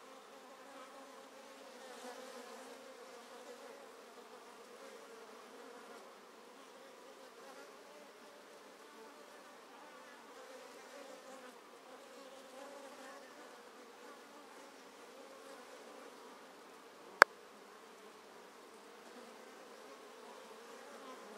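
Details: Honey bee colony in a top bar hive, treatment free and thriving, being split with a follower board; drones active at entrance holes. Steady droning hum of many bees with layered buzzing bands, one sharp click near the end.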